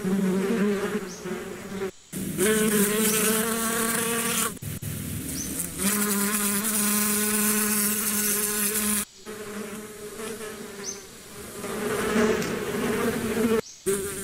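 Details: Bees buzzing loudly with a low droning hum that shifts slightly in pitch as they move, broken by several abrupt short silences where the sound cuts off and resumes.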